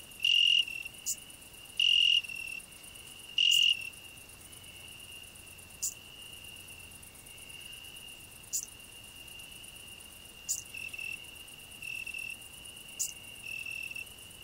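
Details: Cricket on a rose bush, a grasshopper singing nearby: three loud ringing bursts about every one and a half seconds open, then a steady quieter trill runs on, punctuated by short high rasps roughly every two seconds.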